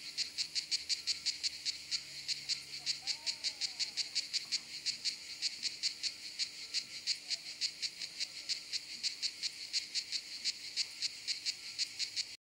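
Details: Kraakcicade singing during high summer on a campsite in southern France; dense run of rasping pulses, close to three per second, continuing without pause, with a brief faint whistle-like sound near the start.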